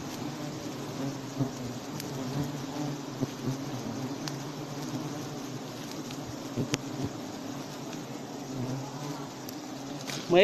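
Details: Honey bees buzzing during a honey harvest in Cambodia's Prey Lang forest area: a steady low droning hum throughout, with scattered clicks and short voices nearby.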